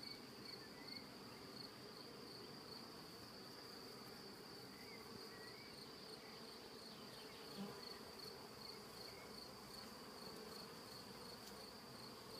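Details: Bees that appeared queenless build comb from the bottom up inside a transparent hive. A steady, rich buzzing hum with faint pulsed high tones above and a soft low thump near the eighth second.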